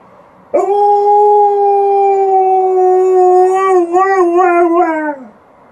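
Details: Alaskan Malamute indoors howling in response to an outdoor siren: one loud, sustained, smooth howl of about five seconds, holding a steady pitch before breaking into a wavering, quavering ending.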